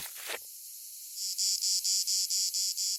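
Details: A plebeian cicada (Lyristes plebejus) on a conifer in the Provence garrigue in July gives its mating song, a shrill buzz made by abdominal cymbals, pulsing rapidly in short, even bursts after a brief rustle.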